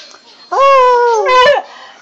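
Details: A pet dog howls indoors: one loud, steady, tonal note that holds level for about a second, breaks briefly, then rises into a short higher push before fading.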